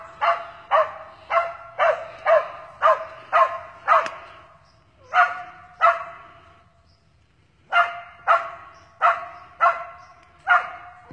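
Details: Texas squirrel-hunting Cur dog barking after finding a fox squirrel again; a fast, steady run of sharp, ringing barks about twice a second, a brief pause, then another evenly spaced series.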